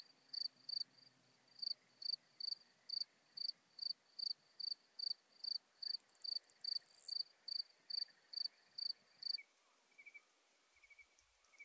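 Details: Isophya modesta bush-cricket singing at Marz, Austria, on 13 June 2020: short high, dry pulses repeated steadily about every half second, with one louder, hissing burst in the middle. The pulses stop near the end, leaving a faint thin tone.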